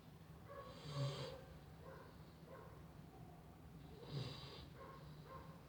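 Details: A sleeping female Chow Chow snores, with rough, rumbling breaths about every three seconds.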